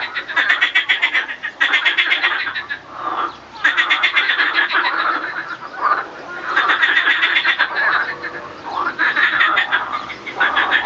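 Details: Male marsh frogs (Pelophylax ridibundus) give loud rattling, chuckling croaks in overlapping bursts, breeding song and fighting during reproduction.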